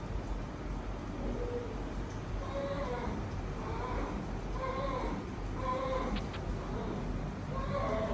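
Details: At a veterinary clinic the chonky, friendly cat Ton Ton makes a string of short, quieter meows spaced irregularly across several seconds, with a brief sharp click near the end and a constant low hum underneath.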